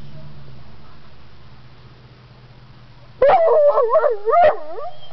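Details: A dog in a parking lot at Buntzen Lake, wanting to be let out. After about three quiet seconds comes a loud, wavering, whining howl lasting over a second, rising and falling in pitch. A person speaks before and after.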